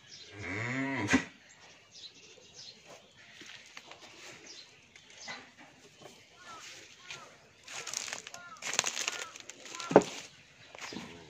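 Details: An 11-month-old Australian bull calf on a dairy farm in Bhangura, Pabna, Bangladesh, gives one short, deep, harmonic moo at the start. Quiet rustling, clattering and brief noise bursts follow.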